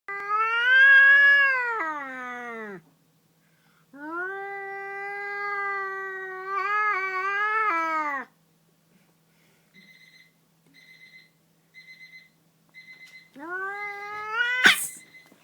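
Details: An angry domestic cat indoors, riled after seeing another cat outside and then being touched, lets out long, wavering, drawn-out yowls that rise and sag in pitch. Short electronic beeps sound between the wails, and a final yowl ends in a sharp click.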